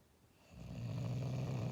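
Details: A sleeping, dreaming English Bulldog gives a deep, rattling snore rising from near silence, a low, steady rumble on one droning pitch with a slight buzzy edge; finding: English Bulldog.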